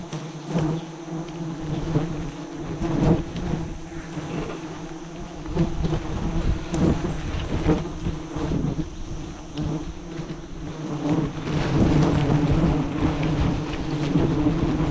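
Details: Sustained buzzing from a giant honey bee colony during the harvest of a large nest holding around 100 kg of honey; a dense low hum that rises and falls over fifteen seconds, broken by frequent crackling knocks and rustling.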